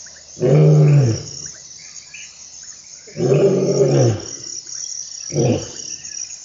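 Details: Lion in the African bushveld giving three deep, rumbling roar grunts, each with a rich low harmonic stack. The first two last nearly a second each and the last is shorter. A steady high insect hiss runs underneath.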